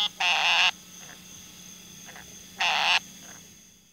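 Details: Frog calling with two loud, harsh, rasping croaks about two seconds apart, each roughly half a second long, with fainter, softer croaks between them against a quiet background.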